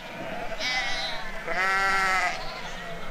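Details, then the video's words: Sheep in the yards while a farmer and his dog work them, with a creek running in the background: two drawn-out, harmonic bleats, the first short and the second longer and louder, over steady water noise. "sheep farmer and dog working yards"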